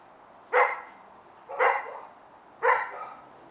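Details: Male Labrador Retriever, five months old, waiting for its owners: three sharp, bright barks spaced roughly a second apart, each with a short ringing tail, in a quiet room.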